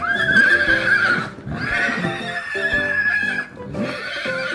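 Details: Farm horse giving a spirited neigh, a shaky, sustained high whinny that breaks off and starts again, with upbeat children's music playing underneath throughout.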